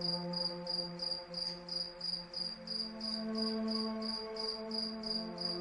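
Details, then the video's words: Crickets at night giving evenly spaced high trilled chirps about three per second, accompanied by gentle sleep music with slowly shifting low tones. "Cricket Sound"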